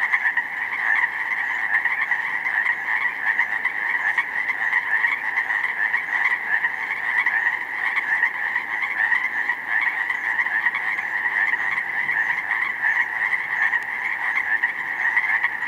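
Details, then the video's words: A dense chorus of Pacific chorus frogs in a snowmelt-flooded slough meadow in spring, 19 May, countless overlapping croaks merging into one steady, pulsing wall of sound. "pacific chorus frogs in full effect!"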